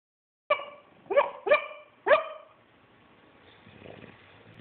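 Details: A bulldog's weird snore: four short, squeaky, tonal notes, each sliding downward, come in quick succession at the start. A faint, breathy rasp follows in a quiet room.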